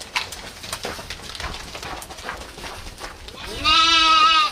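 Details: Rustling and scattered noises fill several seconds in a rural village. Then a goat breaks in with a loud, long, wavering bleat that closes the recording.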